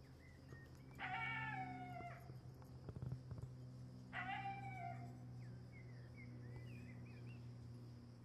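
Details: A golden jackal gives two high, wailing warning calls at a pack of dogs, sliding downward, over a steady low hum.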